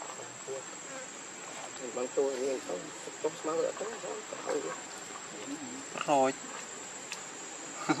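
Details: A baby monkey, very hungry, cries for milk with quavering, wobbling whines in quick bursts, then a sharp rising squeal near the end, against a constant high-pitched hum.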